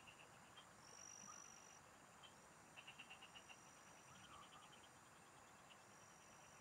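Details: Frogs of the fields chorusing as someone fishes: scattered high ticking trills, one clear burst of six or seven crisp pulses, a brief thin high whine, and low background hiss.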